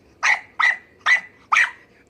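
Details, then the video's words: Pet dog barking back while its owner orders it away and says no: four sharp, evenly spaced barks, about one every half second, over a quiet background. "Dogs Who Argue With Their Owners (And Think They’re Right)"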